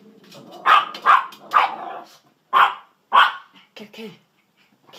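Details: Pet dachshunds named Sausage and Weenie, urged to "get the kitty", bark in short sharp bursts, five loud yaps spaced about half a second to a second apart, with a few softer sounds trailing off near the end.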